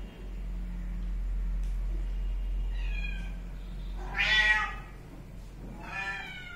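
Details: Kitten meowing indoors: three short harmonic meows, the loudest near the middle, over a steady low electrical hum.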